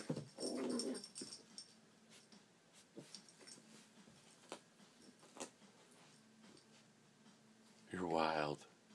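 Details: Manchester Terrier, excited and worked up indoors, gives a short rough vocal burst at the start and a loud harmonic yelp-like cry near the end, with a person speaking and faint small-room noise between.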